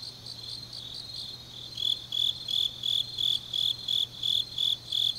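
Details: Autumn grass insects singing deep at night in Changnyeong, Gyeongsang Province, Korea: soft, high pulsing at first, then a louder chirper joins after about two seconds with shrill bursts roughly three per second.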